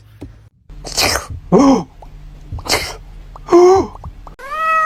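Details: Cat making short, wavering meows between noisy sneeze-like bursts, ending with a clear, steady mewing tone.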